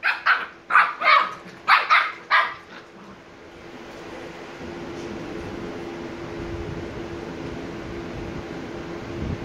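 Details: Two sleepy 86-day-old Shiba Inu pups, Niro and Kyno, give a quick run of about six high, sharp barks in the first three seconds, then fall silent against a droning background hum.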